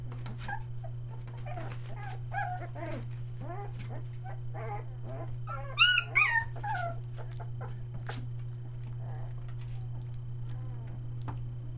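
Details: Australian Shepherd puppies just under three weeks old, near Mooresville, NC, giving scattered short whines and yelps, a pair of loud piercing squeals midway, then quieter whimpers, with faint voices and a low background hum.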